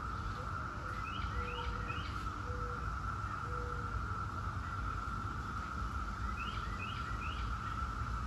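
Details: 17-year cicadas of Brood X sustaining a flat, unchanging buzz, while birds give clusters of rising chirps and several short level whistles, over steady low-frequency rumble.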